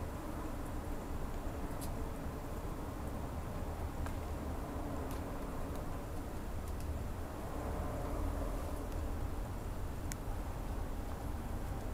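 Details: Steady low rumble and broadband hiss like passing traffic, with a few faint ticks and clicks, throughout; no animal voice stands out.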